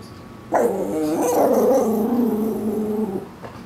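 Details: Koa, a Shih Tzu Maltese mix dog in a backyard, warbling in protest at something outside; a continuous wavering, moaning vocalisation with stacked harmonics lasting nearly three seconds, pitch wobbling up and down like talking.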